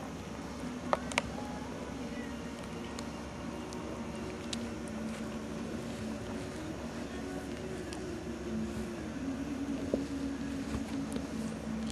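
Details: Steady motor hum fills the recording, with faint murmured voices and a few soft clicks, and no animal sound heard.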